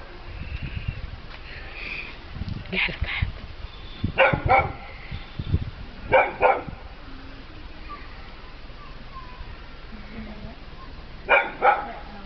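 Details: Paired short barks, repeating every couple of seconds with long gaps, come from Peppie, a household dog scared of a little cat, while people murmur nearby and low thumps sound in the room.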